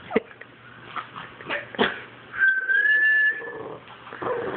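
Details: A Boston Terrier that hates whistling gives short whining yips around a person's clear, slightly rising whistle.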